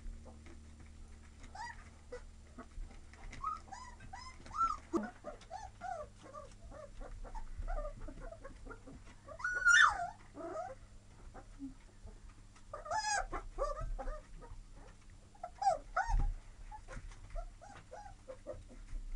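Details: Several young Labrador Retriever mix puppies indoors, whining and yipping in a busy overlapping chorus of short, high, wavering whimpers, with louder bursts and a low steady hum underneath.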